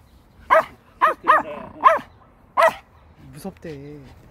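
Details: Pomeranian on a walk, nervous near a place said to smell of a cat's home, giving five sharp high yaps in quick succession followed by a softer whine, with a woman speaking Korean nearby.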